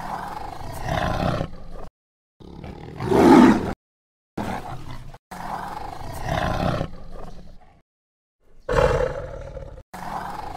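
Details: Tiger in deep jungle giving a series of deep, grating roars. Some are long and drawn out, others short and explosive, separated by sudden dead-silent gaps.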